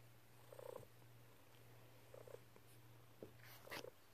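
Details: Domestic cat purring on a person's lap while kneading with happy paws: a steady low droning purr runs throughout, broken by short chirpy trills near the start, middle and end.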